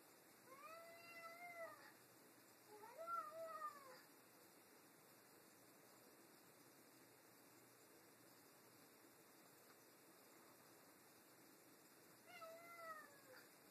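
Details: Two pet cats, Tammie and Cheddar, argue over a new toy: drawn-out harmonic meows, two close together in the first four seconds, then a long quiet gap before another wavering meow near the end.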